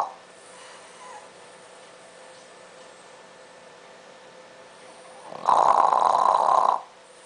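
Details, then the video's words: French Bulldog snoring as he sleeps at night, usually with a bone in his mouth; quiet breathing for several seconds, then one loud, rasping snore lasting about a second and a half before silence returns. "Snores! - French Bulldog"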